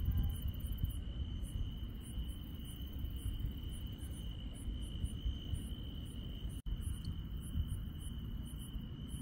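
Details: At night in rural countryside, grass insects keep up a level, sustained high trill with rapid very high pulsed chirps clustered near the end. A momentary dropout interrupts the chorus, and a low background rumble persists.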